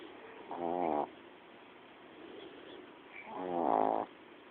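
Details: Female house dog asleep and snoring: two nasal, harmonic snore bursts, the second louder and slightly longer, about three seconds apart, with soft room hiss between them.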